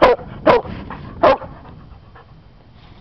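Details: Female hound up for adoption, found on M-32 near King Settlement Rd, gives three short, sharp, harmonic barks in quick succession at the start, then falls quiet apart from faint background murmur; a person has just been giving sit commands.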